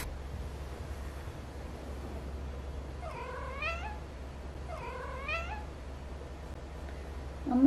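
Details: Neutered male Munchkin Napoleon cat at home, responding to its owner's sneeze. Two distinct meows about two seconds apart each rise and then fall in a wavering curve, over a steady low indoor hum.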